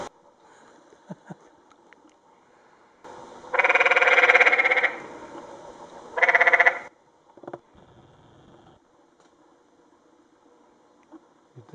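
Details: Along Secret Canyon Trail near Sedona, Arizona, 2011, a canyon tree frog gives a loud pulsed rattle lasting over a second, then a shorter second burst, against a quiet canyon background with faint distant sounds.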